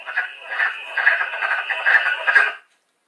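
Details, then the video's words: Wood frog song from Long Island, replayed through a speaker: hoarse, clucking duck-like quacks in rapid overlapping bursts, sounding like chattering ducks, stopping abruptly after about two and a half seconds. "that's what a wood frog sounds like that kind of duck quacking"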